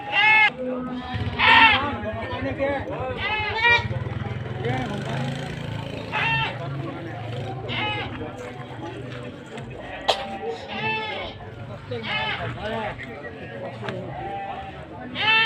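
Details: Goats at an animal market in Sumpiuh, Banyumas, Central Java, on 20 December 2025: several wavering, nasal bleats repeated at uneven intervals through fifteen seconds, set against steady crowd chatter and bargaining voices.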